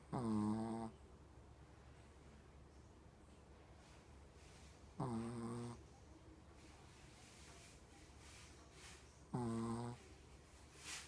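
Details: Blind Shih Tzu in her 14th year, with terminal cancer and seizures, indoors on 2017.10.28. She gives three drawn-out, low, tonal groaning moans about four seconds apart, with quiet breathing between.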